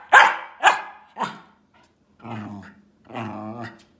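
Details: Male Welsh Terrier, said to think he is human, gives three sharp barks about half a second apart, then two drawn-out, harmonic, moaning vocalizations.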